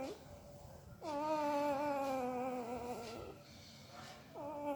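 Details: Puppy asleep, making a weird mouth noise: a brief whimper, then one long, steady, slightly quavering nasal whine lasting about two seconds, and another whine starting at the end; quiet indoor background.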